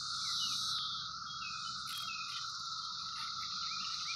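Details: Seventeen-year cicadas near fruit trees, present for a few weeks, form a steady, unbroken droning chorus with a high hiss above it, while a few birds chirp and whistle briefly through it.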